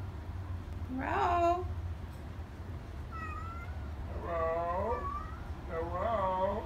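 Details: Chatty Siamese cat, a female kept indoors, said to sometimes say "hello"; several rising and falling harmonic meows, the first longest, then shorter wavering ones about a second apart, over a low steady hum.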